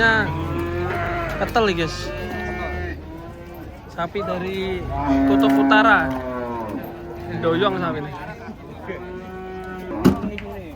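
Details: Cattle coming down from a truck at a market, a white horned cow among the arrivals; repeated drawn-out moos, several overlapping, with sharp knocks and clatter between calls.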